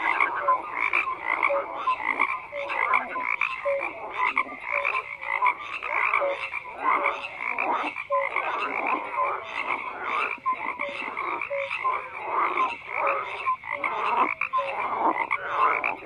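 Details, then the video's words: Continuous chorus of many frogs croaking, rapid rattles and brief tonal calls overlapping throughout, loudness fluctuating as voices join and drop out. "FROGS CROAKING"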